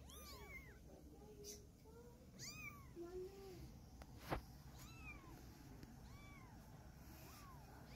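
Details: A mother cat moves her kittens, carrying one in her mouth. Thin, arched meows repeat roughly every second, with a brief lower drawn-out mew in the middle, all over constant low-frequency background hum.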